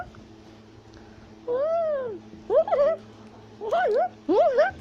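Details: In South America a tufted capuchin, also called black-capped capuchin, calls while climbing a tree: one long arched whine, then three shorter wavering, yodel-like squeals in quick succession over a low hum.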